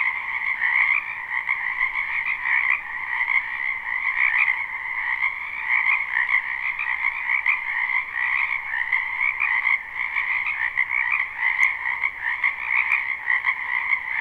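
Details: A live, unlooped spring recording from a wetland full of frogs: a constant massed croaking with a lower and a brighter upper band, rippling with overlapping pulses, plus a couple of faint clicks late in the stretch.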